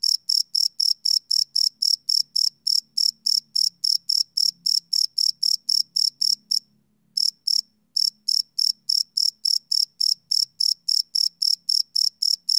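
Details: Crickets at night, recorded live on a Sony PCM D100: a rapid train of shrill, evenly spaced chirps, briefly broken by a pause of about a second, over a soft low rumble.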